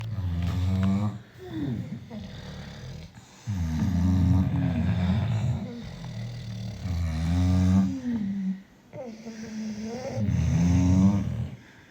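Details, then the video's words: Six British Bulldogs asleep, snoring loudly in long, rasping, droning breaths with a deep harmonic rumble. Each snore lasts one to two seconds, with quieter gaps between, and the snores repeat roughly every three to four seconds. "The sound of 6 British Bulldogs sleeping."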